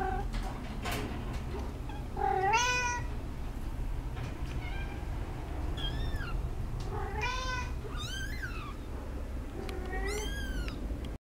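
A Munchkin cat gives a string of short, rising-then-falling meows against a low indoor hum.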